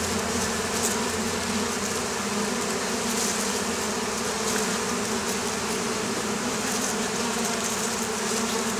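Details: Oriental hornet (Vespa orientalis) buzzing around apiaries of the Campanian plain, Italy, where it troubles beekeepers. A continuous swarm-like drone of many wings, a thick and even hum without pauses.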